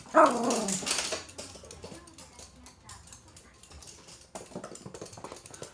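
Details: Toy Poodle at play with a stuffed toy during its usual morning game indoors: one sharp, bright bark opens, followed by quieter scuffling and small rustling sounds, with a second softer burst near the end.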